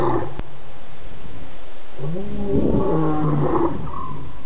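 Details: Lions, at least two, roar at night at Djuma waterhole, 01:30 a.m., 11 November 2016, after a buffalo's drink; a brief low moan opens, then a strong layered roar builds from about two seconds, over constant low-frequency background rumble.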